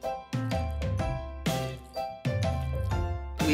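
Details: Bright, bouncy instrumental music with plucked notes and steady beats throughout, no animal calls heard.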